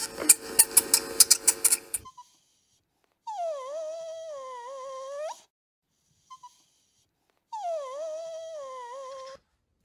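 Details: Kitten meowing: two drawn-out, tonal meows of about two seconds each, dipping in pitch at the start, holding steady, then lifting slightly at the end, with a short burst of rapid crackling clicks before the first meow.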